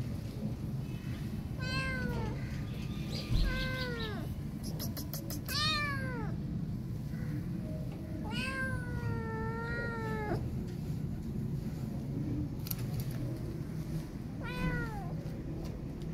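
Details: Abandoned kitten, scared after her mom cat left, calls repeatedly: around seven plaintive meows, some short and arching, one longer and wavering, interspersed with brief clicks and a low continuous rumble.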